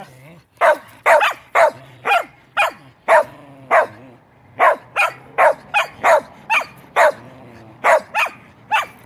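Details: Pet dog barking at night-time? no: pet dog barking after hearing a fire truck siren go by, a rapid run of about sixteen sharp, loud barks over nine seconds, closely spaced and insistent, with a faint low hum underneath.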